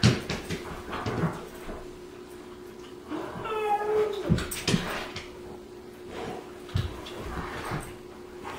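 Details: Rescued male New Guinea singing dog howling in short spurts in the morning, as he does every morning to greet the new day rather than to play or go out; a brief, high, tonal howl among indoor thumps and shuffling.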